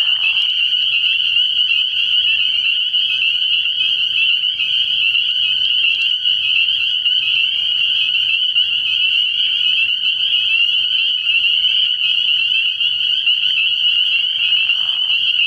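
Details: Early-year nighttime frog pond full of spring peepers: constant high-pitched overlapping peeping, with brief lower buzzy notes near the beginning and end.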